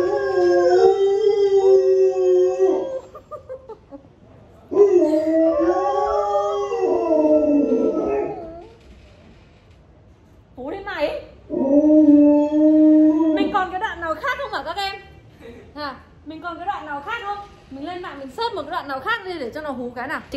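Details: Honey, a pet Alaskan Malamute, joins a replayed clip with wolf-like howling: several drawn-out wavering howls separated by pauses, ending in shorter broken yips and quavering notes.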